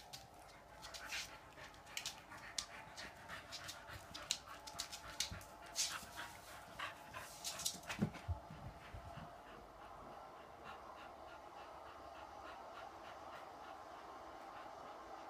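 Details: Two female dogs, a 16-week-old Cavalier King Charles spaniel and a 2.5-year-old boxer, panting and snuffling in quick rough bursts for about eight seconds, then quieter breathing over a steady low background hum.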